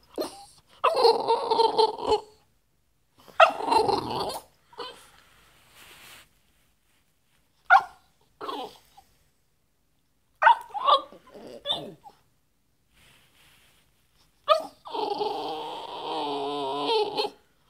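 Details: Moo Moo, a female French Bulldog, gives bursts of whiny, grumbling vocal sounds because she wants to play.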